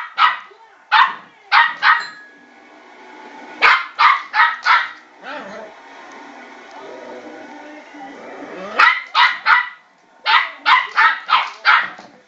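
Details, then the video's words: Twelve-week-old Westie puppy Milo yapping at a spinning Tracy Beaker bowl, bursts of three to five shrill barks in fast runs, with a longer stretch of softer whining and shuffling noise in the middle. "Westie puppy barking at spinning bowl"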